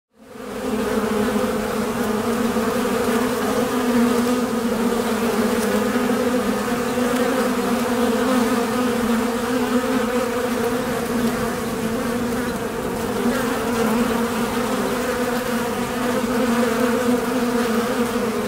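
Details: Western honey bee (Apis mellifera) colony buzzing in Bolinas, California, 2021: a steady, dense drone of many wingbeats blending together.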